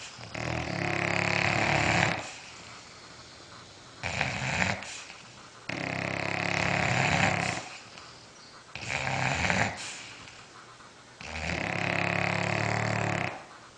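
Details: Sleeping bulldogs snoring: long rasping harmonic snores of about two seconds each, alternating with shorter, softer breaths, in a steady cycle roughly every three to four seconds indoors.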